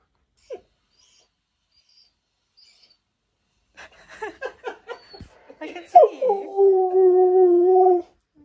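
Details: Siberian Husky indoors at home, filmed by a secret camera while yelling: a few short choppy yelps and grumbles, then a sustained wavering howl-like tone held steady for about two seconds before stopping.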